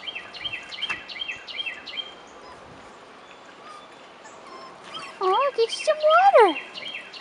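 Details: 4.5-week-old Rottweiler puppies on their first outing outdoors; rapid bird chirping fills the first seconds before a pup lets out two loud, wavering, downward-sliding whines near the end, with a woman talking to them about water.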